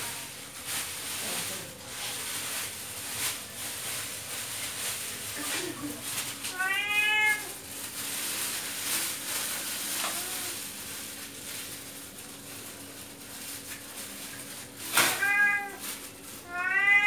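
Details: Male pet cat begging for fish indoors: a few short harmonic meows, one near the middle and a pair at the end, over steady hiss and scattered clatter.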